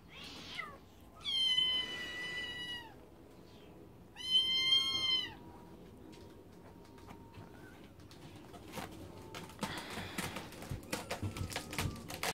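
Scottish Fold kittens give two drawn-out, high-pitched meows, then quieter rustling and clicks.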